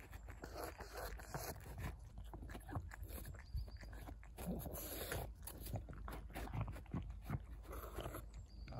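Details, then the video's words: Pug close by giving low, rough snuffles and grunting breaths mixed with wet chewing-like sounds, steady and continuous. "original pug sounds"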